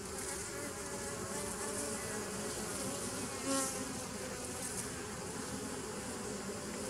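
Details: Steady humming of bees in a 2017 nuc colony, 27 September 2018, an even low drone broken once midway by a short sharp click.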